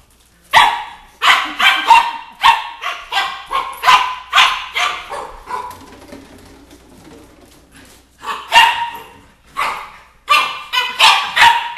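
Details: Red Doberman Pinscher puppy, nine weeks old, confronting a 2-litre bottle with rapid, shrill yapping barks, almost continuous at first, then a brief lull and renewed strings of barks.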